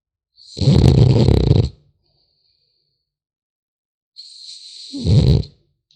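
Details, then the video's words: French Bulldog puppy asleep, snoring in two long rasping breaths, each about a second and a half, low and rumbling with a faint whistling overtone, separated by silence. "Храп щенка французского бульдога"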